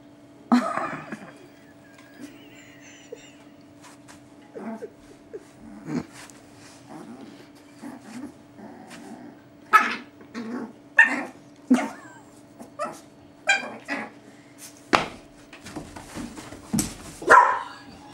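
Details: Playful dog sounds as a 13-week-old, one-kilo Chihuahua puppy named Mayin plays with Nomi, a 4-year-old, 75-kilo Boerboel; short snorts, yips and sneezy puffs come in scattered bursts over steady indoor hum, with brief murmured speech.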